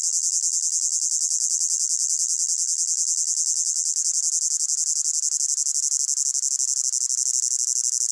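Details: Hot summer meadow with crickets, mixed from several layers: constant high, shimmering chirring with rapid rhythmic pulses, level and unchanging, no birds or voices.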